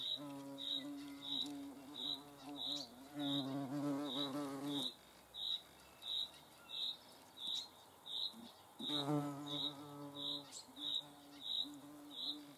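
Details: Hornets filmed in the Eifel; low harmonic wing buzz comes in two bursts of several seconds, separated by quieter stretches, while a high rhythmic chirping pulse repeats steadily in the background.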